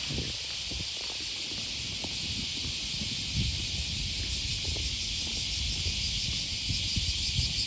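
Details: Cicadas on an August morning beside the Okawa River near Sakuranomiya Park in Osaka, Japan, give a continuous, dense, hissing drone with a pulsing shimmer, over footsteps and low city rumble.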